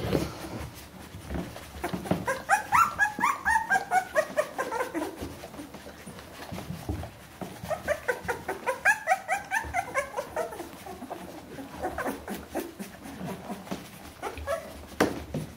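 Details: Bernese Mountain Dog puppies, 14 days old, indoors, let out runs of rising and falling whimpering squeaks in two main bouts, separated by quieter rustling and soft thumps.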